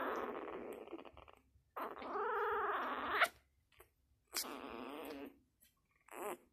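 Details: A six-day-old Labrador puppy making three drawn-out nasal whining grunts, the middle one bending up and down in pitch, separated by short pauses, with a brief click and faint rustle indoors.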